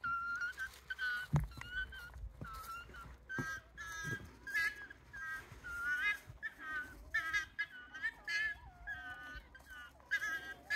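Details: Wild Japanese raccoon dog pups, a family of about eight with their parents, beside the Kushiro Marsh Observatory walkway in Kushiro, Hokkaido, Japan; many short, high, tonal whines overlap in quick succession, with a sharp knock and a man talking.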